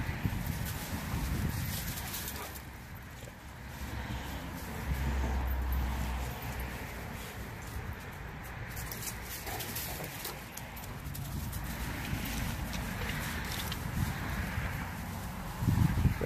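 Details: Dogs at play outdoors on Thanksgiving Day 2018: Renascence Bulldogge puppies Rekkr and Magi romping with Blue Bay Shepherd Kurgan and German Shepherd Lobo. Low, rough canine whimpers and grumbles come in bursts over steady background rustle, with brief human speech.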